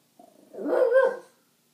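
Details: Female French bulldog defending her spot during play with two other French bulldogs; a brief low growl rises into one loud, drawn-out bark lasting under a second, then silence.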